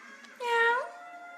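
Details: Jack Russell terrier dog making a meow: one drawn-out harmonic cry about half a second long that rises slightly, holds, then dips, over a low background hum.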